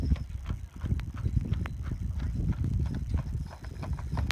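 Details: Pair of Clydesdales in harness, their owner from Scotland at the reins; brisk, overlapping hoof clops on a hard surface, several strikes a second, with a deep rolling rumble beneath.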